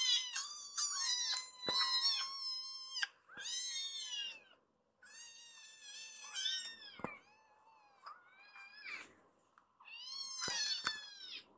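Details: Rescued kitten in foster care, excited and crying out as it climbs up a man to his shoulder after being stroked; loud, high, harmonic meows, some long and drawn out, repeated in bursts with short pauses, indoors.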